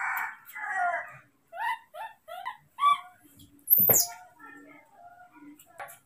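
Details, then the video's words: Moni, a little baby monkey, left briefly by his father who went to pick fruit, cries in anger. Repeated wavering, falling wails alternate with short pauses, and one sharp high squeal stands out. A woman comforts him in Indonesian. "The little monkey baby Moni is furious, left for a while by his father to pick fruit"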